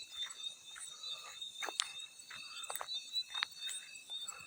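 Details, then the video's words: Field cricket chorus mixed with water splash sounds: a steady, shrill, high trilling hum held at several pitches without pause, broken by irregular sharp splashes and drips. "Field Cricket + water splash sounds"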